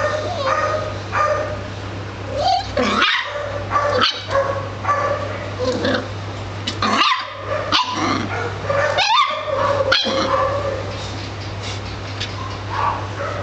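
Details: Italian Greyhound giving a mix of short harmonic barks and rising, wavering whines in irregular bursts, with a steady low electrical hum underneath throughout.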